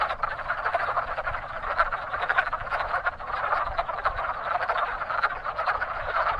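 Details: Many wood frogs chorusing at a busy spring breeding pond, their rapid, rough, duck-like clucks piling into one unbroken rattling wall of sound with no pauses.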